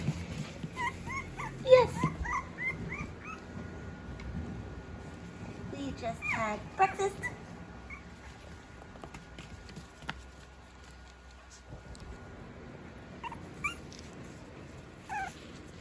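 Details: Five-week-old Havanese puppies playing after breakfast, giving a series of high, rising yips and whimpers in quick bursts, with a woman talking to them warmly throughout.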